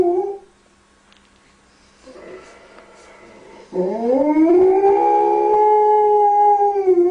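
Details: Pet dog singing to calm a crying baby, starting with a short howl, then quiet and a faint cry, then a rising howl that swells into a long, steady, sustained tone held to the end.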